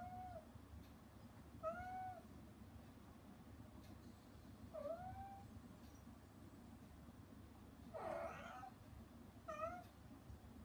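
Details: Rescued mother cat, excluded while her kittens eat weaning food, meowing anxiously toward them behind frosted glass; five or six clear, slightly falling meows spaced two to three seconds apart, one rougher and louder, over a steady low hum.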